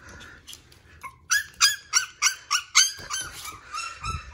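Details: Shiba Inu puppy barking: after a few soft whines, a quick run of about eight sharp, high-pitched yips with bright overtones, tapering into quieter yelps at the end.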